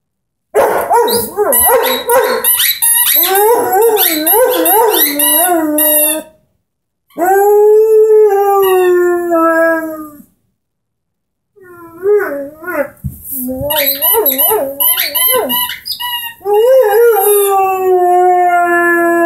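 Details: Henry the Airedale Terrier, aged 10 months, howling along with his orange squeaky ball: bursts of rapid yodelling yips and wavering howls, a long smooth howl in the middle, squeaks scattered between phrases.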